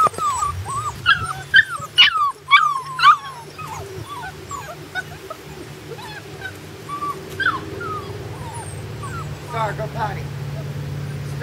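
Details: High-pitched whimpering and yipping from puppies out of doors for the first time, a rapid string of short wavering whines, loudest early and trailing off into softer repeated cries, with a low background hum.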